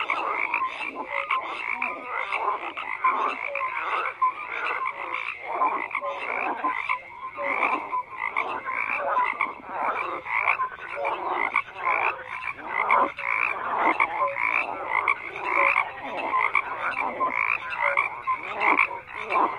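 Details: Many frogs croaking at once, a busy, continuous chorus of harsh pulsed calls and scattered brief tonal notes, evenly loud from start to finish.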